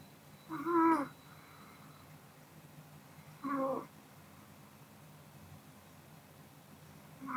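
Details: Sleeping Pomeranian Kodama, drowsy after a meal, snores in whistly, harmonic bursts of under half a second, three within seven seconds at an uneven spacing. Soft background hiss fills the gaps.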